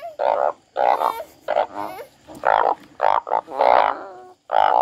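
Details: Frog crying in long, buzzy, harmonic croaks, each lasting nearly half a second and spaced by short pauses, with a faint high whine behind.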